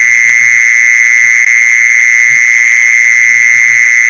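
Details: Steady piercing trill of a mole cricket, sounded to lure more of them, continuous and even throughout, with occasional faint low bumps below.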